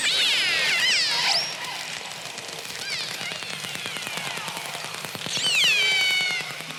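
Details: Killer whales recorded off San Diego trade sliding, squealing whistles, some rising and some falling, in two bursts, over a steady patter of echolocation clicks that at times packs close enough to sound like a buzz.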